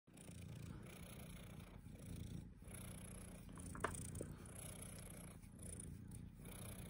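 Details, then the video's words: Domestic cat named Mogwai purring steadily, a continuous low rumble throughout, with a few faint clicks and a brief higher sound near the middle; quiet indoor recording. "Purring Love"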